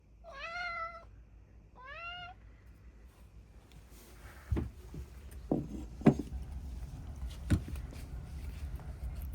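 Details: Cats excited over eel, the first time in a while they have had it: two clear, rising-then-falling meows in the first two seconds, followed by clicks, thumps and handling noises indoors.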